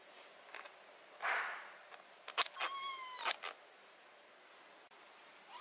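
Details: A cat being treated for botfly larva, ringworm, fungus and blackheads on its skin gives one steady, harmonic-rich meow lasting under a second, preceded by a breathy burst and sharp handling clicks.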